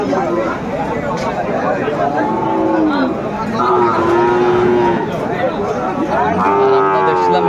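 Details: Aftabganj market in Dinajpur, Bangladesh, on 10 September 2024, where Friesian and crossbred bull calves are traded. Three drawn-out, slightly falling moos arrive about every two seconds, with steady murmur of people bargaining behind.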